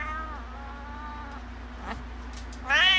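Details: Modern lilac point Siamese cat giving a sustained, level meow that trails off, a brief quiet rustle, then the start of a louder, rising meow at the end; faint steady hum underneath.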